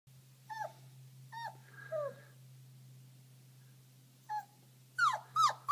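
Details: Five-week-old Border Collie pups whimpering indoors: a few short high squeaky whines with falling pitch, spaced apart, then a quick cluster of louder yelps near the end over a steady low electrical hum.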